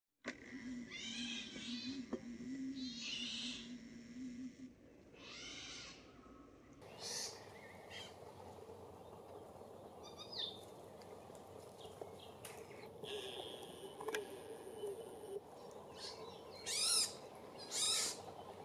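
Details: A European pine marten gives harsh, raspy bursts of chattering calls at irregular intervals during an evening outing with its young, on the way to hunt.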